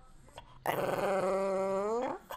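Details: Hungry pet dog asking for food, giving one drawn-out, tonal, whining howl of about one and a half seconds, held at a steady pitch and bending slightly upward before cutting off; a person talks just before and after.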